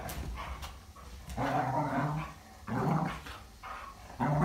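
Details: Two dogs, a Jindo and a Siberian husky, growl at each other in friendly play: low, rumbling growls come in long surges of a second or more, separated by brief quieter pauses and panting.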